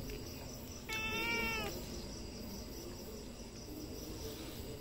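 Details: Single domestic cat meow, flat and slightly nasal, lasting under a second over a steady hum and faint hiss.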